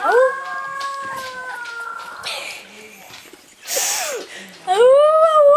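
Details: Three-week-old Rhodesian Ridgeback puppies howl in thin, wavering tones that rise at the end.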